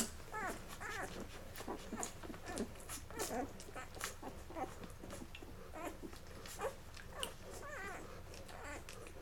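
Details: Labrador Retriever puppies, Mocha's litter, on day 11, eating until full and then crawling off to sleep; soft, thin squeaks and whimpers overlap one another at a low level, with steady indoor background noise.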